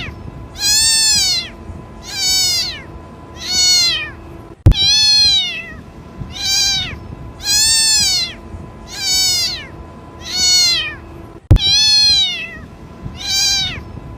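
A kitten gives repeated high, rising-falling mews, calling for its mother.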